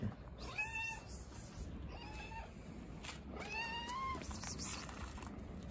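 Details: A hungry stray cat living on the street meows in front of a house: three or four drawn-out, slightly rising then falling meows over steady low background rumble and noise.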